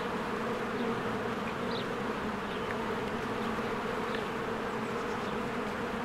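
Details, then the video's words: Spring hive activity: a crowd of bees flying in and out makes a steady droning buzz, loud and even. Two or three faint, short bird chirps sound in the background. "1 Hour of a Beehive ASMR"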